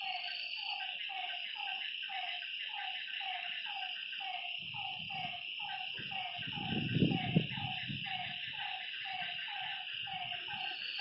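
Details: Night-time lakeside frogs produce quick, clipped notes in a fast, uneven series, several animals overlapping. A continuous high insect hum runs throughout, and a brief low rumble rises midway.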